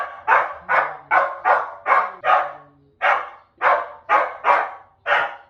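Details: Repeated barking from a dog, recorded for noise-habituation training; quick bursts of roughly two barks per second, a brief gap midway, then more barks, with a low droning tone beneath the first half.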